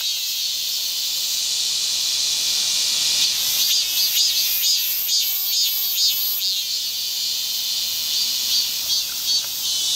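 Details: A steady high, sizzling cicada drone with a run of rhythmic pulsing surges in the middle, roughly two per second, before settling back to a continuous hiss.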